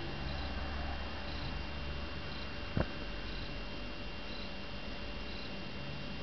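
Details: Three-month-old female Balinese kitten purring while asleep: a quiet, even low rumble running throughout, with one brief soft knock midway and light room hiss.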